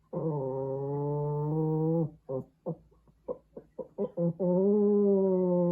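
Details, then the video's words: Hendo, a Pomeranian puppy, howling while missing mom; a long steady drawn-out howl, then a run of short rising yelps and broken notes, ending in another sustained howl. "Dog howling sound effect Hendo miss mom"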